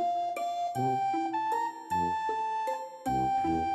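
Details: Plucked, piano-like music plays a simple melody of sustained notes with no animal voice heard.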